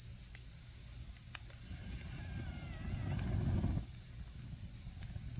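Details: Autumn insects keep a steady high trill by a campfire while a wavering whistle-like tone and a swelling low rumble rise midway, then stop abruptly, with occasional fire crackles.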